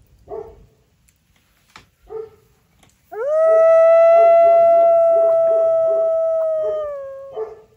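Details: Dogs outside a quiet mountain cabin at night, set off by coyotes and other animals; short yips and barks lead into one long steady howl held for about four seconds while other dogs keep barking rhythmically underneath.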